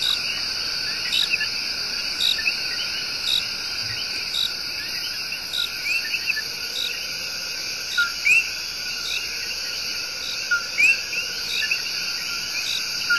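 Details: Coqui tree frogs singing their love song in Puerto Rico's El Yunque Rainforest: short low notes, each followed by a higher rising whistle, repeated irregularly by several frogs over a dense, steady high insect drone.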